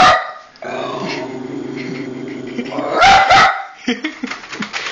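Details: Pet dog, female, growls between barks at the PS3 eject noise: a sharp bark opens, a steady low rumble holds for over two seconds, then a double bark breaks out, followed by clicking.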